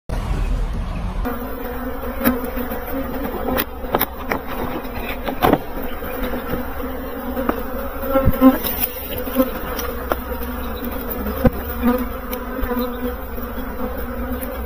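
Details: Bees buzzing in a steady, droning hum with layered tones and brief louder passes as individuals fly close, continuous throughout, with occasional clicks and knocks.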